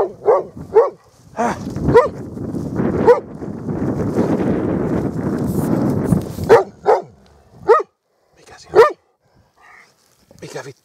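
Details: Dog barking in short separate barks with a stretch of broadband noise in the middle; a man speaks Finnish nearby and music briefly plays.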